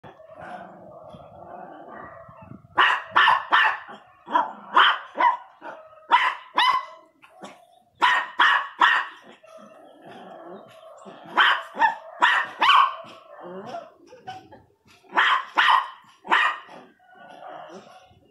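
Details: Pinscher barking angrily in sharp, loud bursts, often in quick pairs or triples, with short pauses between volleys; faint lower whining or murmuring fills the gaps.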